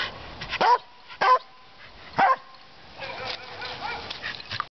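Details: Corgi giving three short separate barks about half a second apart, followed by a softer run of whiny yelps and grumbling vocal sounds, in a quiet indoor setting.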